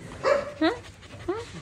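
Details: Dogs, in a charity feeding setting, give three short high whining yelps, each bending upward then dropping, spaced over about a second and a half, with faint background murmur between them.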